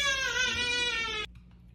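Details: Domestic cat indoors at night, kept in after its catio was closed, gives a single loud drawn-out meow of about a second, rich in harmonics and gently falling in pitch, cut off abruptly, followed by near silence.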